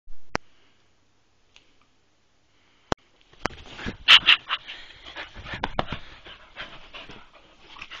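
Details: English springer spaniel, three years old, play fighting on a bed. After about three seconds of near silence broken by a few sharp clicks, rough breathy bursts and snorting noises crowd together, peaking around four seconds, then continue more softly.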